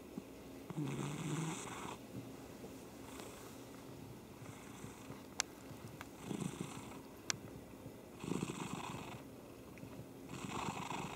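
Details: Cat purring indoors in a small room: soft, breathy rumbling swells arriving in waves of about one second, separated by quieter pauses, with two sharp clicks partway through.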